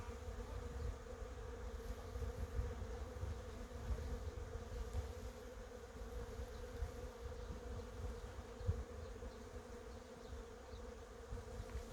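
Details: Honey bees working cherry blossoms produce a constant drone lasting the whole recording, backed by a low, uneven rumble and no other clear callers.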